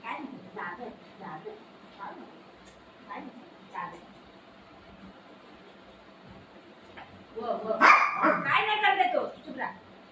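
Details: Golden retriever, one of the dogs Buzo and Milo, playing with its owner: a loud burst of rough, yelping barks near the end follows several seconds of quieter murmuring voices and soft background noise.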